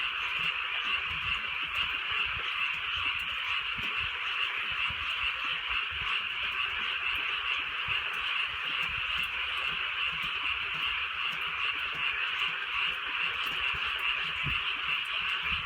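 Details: Frog chorus from the countryside at night under drizzling rain, many overlapping quick croaks blending into a constant shimmering buzz, with rain pattering softly throughout.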